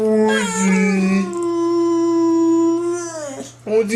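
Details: Pet dog making funny noises: a low wavering tone that rises into a sustained, even howl lasting about two seconds, then sagging downward, with a brief higher cry at the end.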